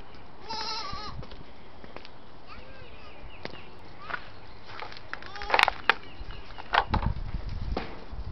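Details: Six-week-old female white Saanen/Alpine cross goat kids, newly acquired: one short, wavering, nasal bleat early on, then scattered knocks, clicks and rustling.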